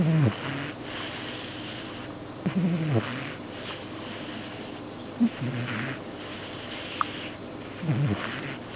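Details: A male pet cat asleep indoors, snoring: low, rough breaths rise and fall in slow bursts about every two and a half seconds, separated by quiet hiss.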